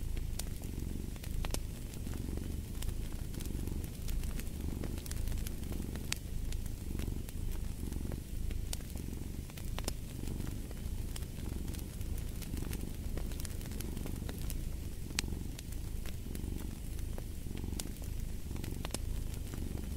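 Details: A cat purring next to a fireplace, the low rumble rising and falling in clear breath cycles roughly every one to two seconds, while crackling firewood adds scattered sharp snaps throughout.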